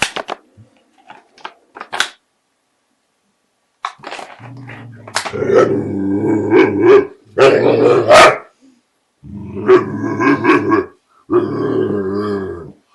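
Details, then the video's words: Male American Bulldog, scared of a border collie while trying to take back his bottle, making funny sounds and acting the fool: drawn-out, harmonic, groaning moans in several bursts of one to two seconds, after a few sharp clicks and taps. "AMERICAN BULLDOG SCARED OF BORDER COLLIE (MAKES FUNNY SOUNDS AND ACTS THE FOOL)"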